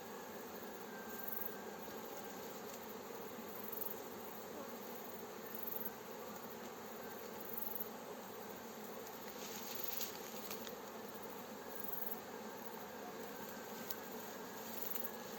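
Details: Fresh swarm of honey bees led into a hive by a beekeeper, outdoors near villages: continuous thick droning hum, even in loudness, with a few soft crackles later on.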